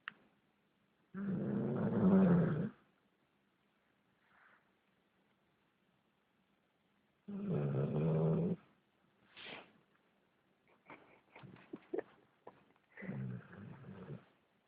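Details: Napping German Shepherd mix dog snoring: three deep, rough snore bursts spaced roughly six seconds apart, with soft shuffling and small movement noises in the quiet gaps.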